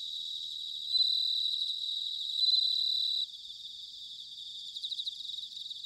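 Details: In Sanuki, Chiba, Japan, an autumn bell cricket gives loud, clear, high ringing notes lasting about two seconds, then drops away, leaving a quieter pulsing trill of other crickets.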